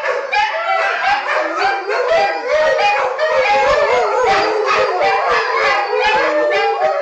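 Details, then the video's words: Several dogs, including wolf hybrids and a Pit/Boxer mix, join in their nightly group howl, a dense chorus of overlapping wavering howls and shrill yips with a lower sonorous howl beneath, continuous throughout. "Nightly Howl"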